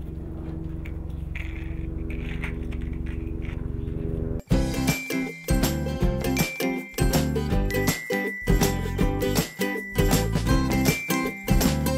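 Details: Soft low humming gives way after four seconds to bright music with chiming bell notes and a steady beat, and no animal voice is heard.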